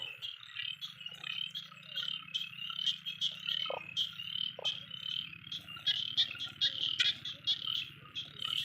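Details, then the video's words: A dense chorus of small frogs calls loudly in Thai rice fields just after the rain stopped, during frog spotlighting: many overlapping high, rapid croaks and pulsed trills. "เขียดร้องระงมเลยครับตอนนี้ครับ"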